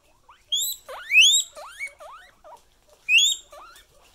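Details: Pet guinea pig wheeking: loud, shrill, upward-sweeping squeals in two bursts, followed by shorter rising chirps in between.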